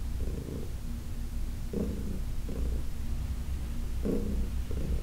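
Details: Heidi, an elderly cat from the Humane Society of New York City, purring under massage on August 4, 2021: a soft low rumble with a few brighter breath-paced pulses.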